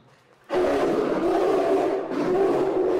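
A polar bear gives a harsh, throaty roar lasting about two and a half seconds, rough and mid-pitched with a brief dip before surging again.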